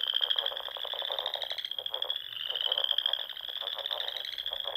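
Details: Frogs calling together at dusk in spring, Sandhills of Nebraska with their small lakes; a steady, unbroken high trill runs throughout while coarser, lower pulsed calls rattle underneath.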